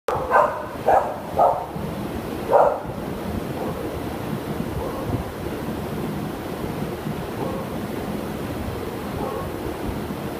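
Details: Toby, a Shepherd dog up for adoption, recorded 17 June 2015, gives a quick series of four sharp barks in the first three seconds, then quiet rushing background noise for the rest.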